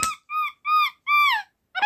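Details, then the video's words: Pet capuchin monkey named Aleksa, a small domestic monkey "talking" with the sounds it uses to communicate: a series of four clear whistled chirps, each with a slight rise and fall, spaced about a third of a second apart, indoors. ""Разговор" домашнего капуцина Алексы!"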